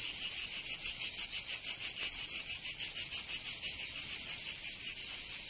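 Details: Strident buzzing of cicadas in summer, Provence in southern France, rhythmically throbbing roughly three times a second in a loud unbroken chorus.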